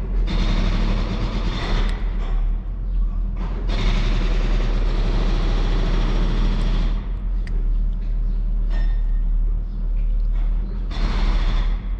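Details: Outdoor street scene where stray cats are fed: steady low vehicle rumble with passing cars and a truck, bursts of broadband noise, and some speech, with no animal voices standing out.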